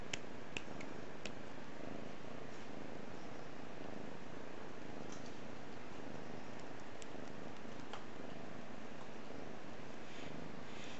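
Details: Purring of a five-month-old kitten, a steady low rumble running throughout, with a few faint clicks and taps.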